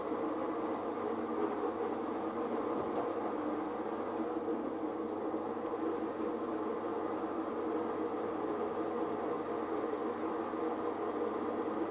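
Steady mechanical rumble like a train or vehicle interior, with no animal calls heard.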